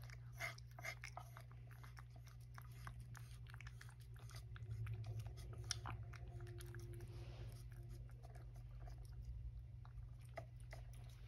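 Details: Rescued tomcat Sacchan crunching his breakfast, including an extra helping: quick dry chewing clicks coming in bursts, with a constant low hum in a small room.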